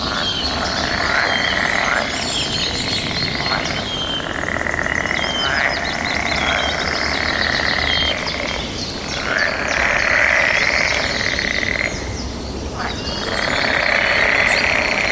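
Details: Mating-season frog chorus with birds and other nature sounds; many frogs answer one another in a continuous shrill drone, with rapid pulsed trills and short whistled notes rising above it. A low hum runs underneath.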